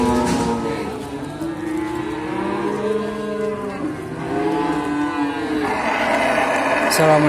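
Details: Calves of the Simmental breed for sale at Sukorejo livestock market, Kendal, give long layered moos, two or more animals calling at once in sagging, wavering tones, with background crowd noise.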